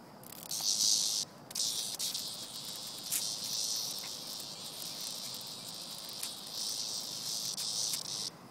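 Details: Cicada being played with by a pet named Vanda, producing a long shrill buzzing drone with brief breaks and pulsing swells, sustained for around eight seconds.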